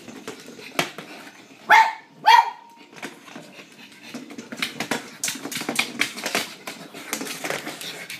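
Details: A blind pug that lost her eyesight plays fetch indoors, tracking a noisy battery-operated ball. Two sharp, loud barks come about half a second apart, followed by scuffling, rattling and soft panting.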